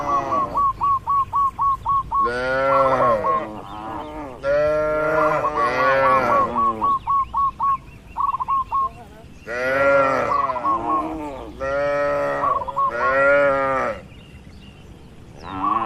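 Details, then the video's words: Tame cattle grazing freely in a wide open field: bursts of rapid, hooked chirps repeated in series, then several full, deep moos with swelling and falling pitch, some overlapping, over sixteen seconds. "Sapi Lembu Jinak Bebas Berkeliaran di Alam Terbuka | Suara Alam & Moo Lucu"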